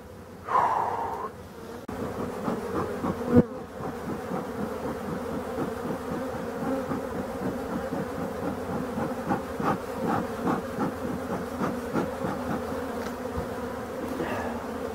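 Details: European dark bees in an abandoned hive under restoration, giving a steady low droning hum with a deeper and a higher tone throughout, with a few sharp knocks and handling noises in the first four seconds.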